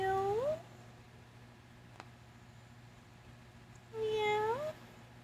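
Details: A calico domestic cat, greeting on a rainy August 2024 day, gives two short, tonal chirping calls that lift in pitch at the end.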